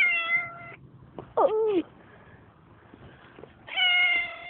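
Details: Street cat meowing loudly at passers-by on a road, captured by phone: a drawn-out meow, then a short yowl with falling pitch, then another long meow. Faint background rustling and handling noise in the gaps.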